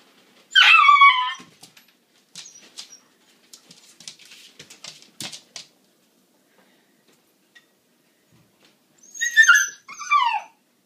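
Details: A female Siberian Husky puppy waiting to eat, newly finding her voice, gives high, wavering whines that rise and fall, with quiet clicks between.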